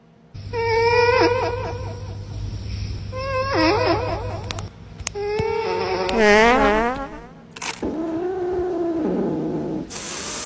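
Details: Cat giving a string of drawn-out, wavering meows, some rising and falling with a quavering tremble, others longer and lower, with brief clicks between calls.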